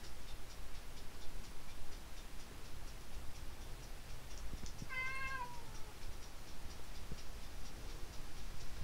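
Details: Domestic cat come to a window, giving a single stretched meow with stacked harmonics that rises then sags over nearly a second, amid a regular soft ticking and low hum.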